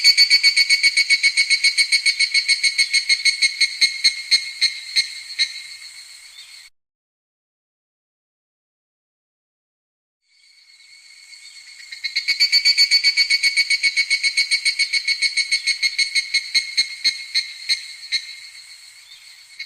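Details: Evening cicada in midsummer: two bouts of loud, rapidly pulsing high-pitched ringing that each fade away, split by several seconds of silence before the second phrase builds back up.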